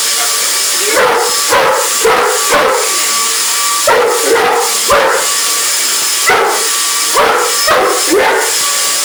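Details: English Mastiff reacting to a vacuum cleaner, delivering bursts of two or three sharp barks every second or two, heard over the loud constant whooshing drone of the running machine.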